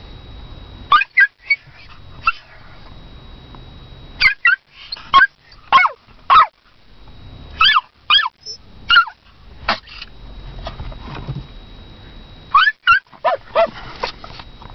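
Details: Female toy poodle barking for her owner: a long run of short, sharp yappy barks, singly and in quick pairs or triplets, with brief pauses between bursts and a quiet room behind.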